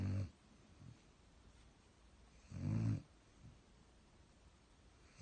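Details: Sleeping German Shepherd snoring indoors: low, rough snore bursts under half a second long, one near the start, a longer one around two and a half seconds in, another at the end, with quiet breathing between.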